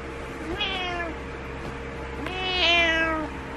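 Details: Butters, a pet cat, meowing in the morning to get the owner out of bed: two drawn-out harmonic meows, the second louder and longer, with a steady low hum of room noise beneath.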